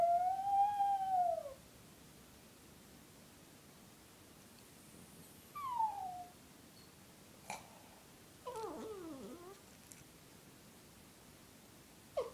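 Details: Female Brussels Griffon dog howling softly. A single smooth, tonal howl rises slightly and then falls over about a second and a half. It is followed by a brief falling whine, a few clicks and a short wavering cry.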